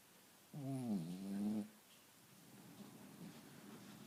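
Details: Sleeping Cavalier King Charles Spaniel giving a single tonal, droning snore of about one second that sags then lifts, followed by soft, rustly breathing noise in a quiet indoor setting.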